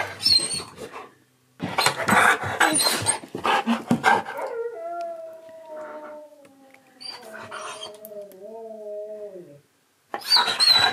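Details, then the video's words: Siberian Husky indoors, excited by a visiting best friend and hearing his favourite words: a long wavering howl with stacked harmonics, slowly falling in pitch over about five seconds, between bursts of noisy excited vocalising and movement. "Shocked My Husky With His Best Friend Visiting! Saying His Favourite Words!"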